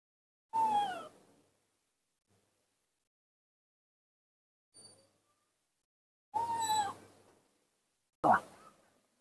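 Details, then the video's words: Baby monkey named Nomi, playing alone and confused in the dirt of a front yard, gives three clear descending whistled cries with bright overtones, spaced several seconds apart, with a faint short note between them. "baby monkey Nomi‼️confused playing alone in the dirt of the front yard"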